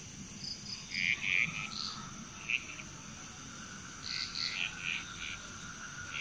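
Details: Frogs calling in Bali, Indonesia, with scattered bursts of bright chirping croaks in clusters a second or two apart, quieter gaps between them, and a faint steady high whine behind.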